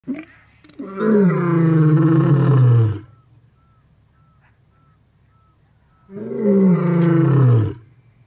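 A lion gives two deep, drawn-out roars, each sliding downward in pitch and lasting about two seconds.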